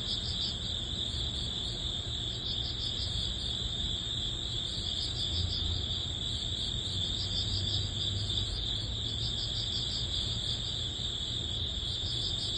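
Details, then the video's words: Early autumn cricket chorus as summer ends, a dense high-pitched trilling that never stops, with rhythmic pulsing chirps on top and a faint low hum throughout. "초가을 풀벌레_ 백색소음_ Cricket sound"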